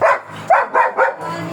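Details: Black German Shepherd at a stud service in Manaoag, Pangasinan: four sharp, high yelping barks spaced unevenly across a second and a half, then a quiet hum.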